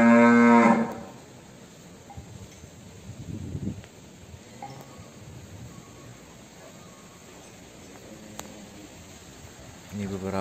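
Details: Cattle in a breeding pen where a calf has just been born: a short, loud, harmonic moo opens the recording, followed by quiet barn noise and a few faint knocks, then another moo begins at the very end.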